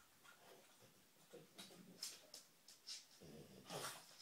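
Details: Female dog searching for treats, sniffing in short, breathy, hissing bursts that come about once a second, irregularly spaced, with quick snorts between them.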